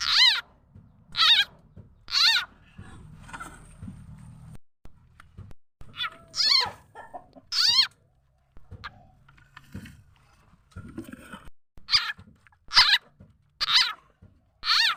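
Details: Khiat chana frog, also named khiat i-mo, whose calls serve as a lure for catching birds, chickens and other fowl; a long series of loud, downward-sweeping harmonic squeals, irregularly spaced about a second apart, with quieter murmurs in between.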